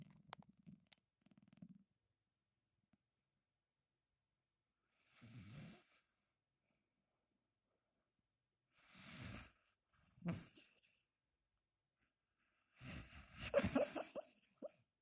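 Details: Sleeping Bull Terrier snoring and snuffling: low rumbling breaths in short bursts with long quiet gaps, then a louder, rougher run of snorts near the end; indoors in a small quiet room.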